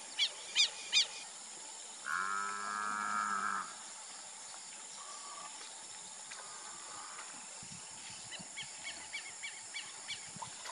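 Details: Grazing Nelore cattle at a Brazilian beef-cattle ranch: a single moo of about a second and a half, preceded by three sharp bird chirps and followed by softer repeated bird calls.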